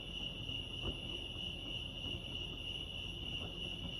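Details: Crickets at Lake Arrowhead, California, sing an unbroken shrill trill, evenly sustained, with a muffled low hum and a few faint knocks underneath.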